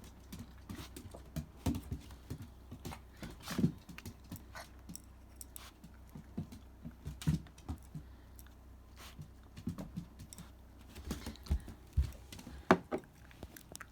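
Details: Shiba Inu named Riri at supper on 28 December 2017, eating dry food topped with retort sardines. Irregular crunching clicks and chewing taps come in uneven bursts indoors, with louder crunches near four, seven and thirteen seconds.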